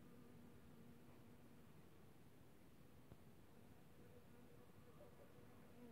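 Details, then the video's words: Honey bees foraging on squills (viorele) on 4 March 2024, giving a soft, steady, low hum with a faint overtone that holds evenly throughout, over quiet background hiss. "Albinele la viorele"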